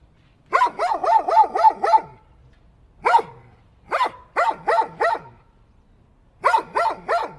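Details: Barking dog, rapid volleys of harsh, evenly spaced barks, about six in the first run, then a single bark and two further bursts of four and three.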